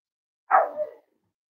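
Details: A single short bark from a Cavalier King Charles Spaniel puppy, almost eight weeks old, in a breeder's family home, a quick half-second yip with a slight second pulse at the end, in an otherwise quiet room.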